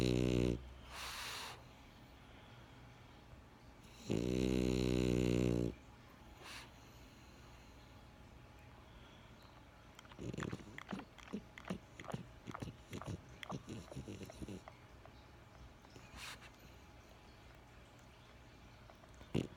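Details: Benjamin the French Bulldog snoring indoors: a short snore at the start and a long buzzy one near five seconds, then a run of soft clicks and snuffles.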